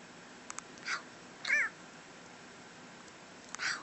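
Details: Tuxedo cat, male, sleepy before going to sleep, gives a single short, arched meow that rises and falls, between soft breathy sounds, with a yawn.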